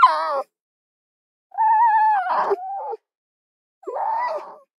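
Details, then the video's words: A fox's falling whine, then a long level cry that cracks into a harsh squawk midway, and a last shorter rough whimper, with silence around each call. "Mesmerizing 15-Minute Fox Soundscapes: Nature’s Hidden Symphony"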